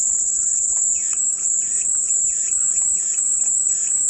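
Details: Relaxing cicada sound: an unbroken, intense high buzz dominates, its pitch wavering slightly, over a lower layer of regularly repeated bird chirps.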